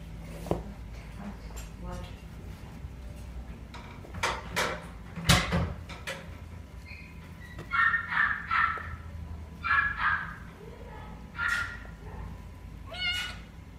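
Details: Female silver tabby kitten born 26 November 2019, kept at a pet shop, gives a run of short mews in the second half, spaced a second or two apart, after scuffling, clattering and brief human speech indoors.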